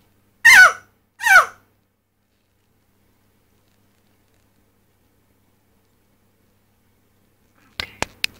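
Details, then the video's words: A Dominican mountain chicken frog (Leptodactylus fallax, "crapaud"), a rare species, gives two loud, harsh, screaming cries in quick succession as a stress or alarm call after being caught, unlike its normal mating call. "The Call of the Mountain Chicken Frog (Leptodactylus fallax) Crapaud"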